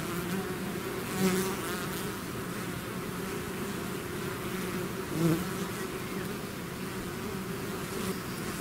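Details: Natural sound of a bee swarm exiting its hive: constant low humming with two brief louder buzzes of bees passing near, about four seconds apart, over the massed drone.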